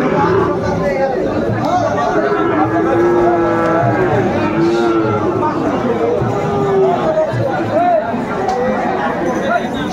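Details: Amid a crowded Sahiwal cattle market in Cumilla, Bangladesh, 1 October 2024, several drawn-out arching lows rise and fall midway through, with a later short moo, surrounded by constant human voices and market bustle.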